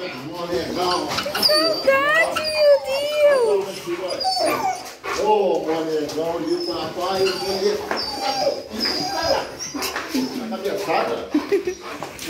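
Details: Excited Rottweilers welcoming their owners home after two days away: wavering, sliding whines and yelps in quick bursts, some breathy, with a woman's delighted talk and movement noise in the room.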